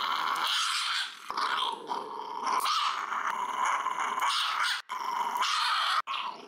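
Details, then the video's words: Small three-year-old female Shiba Inu growling throughout nail clipping at home in Fukuoka, a continuous loud snarling growl with brief pauses and faint clicks. "爪切りの時に小悪魔が現れました｜A little devil appeared when I was cutting her nails"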